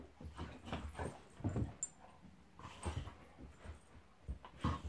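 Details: Golden Retriever Monty wrestling playfully with a Labrador named Eric, giving deep throaty growls in quick bursts about every half second, mixed with brief higher whines.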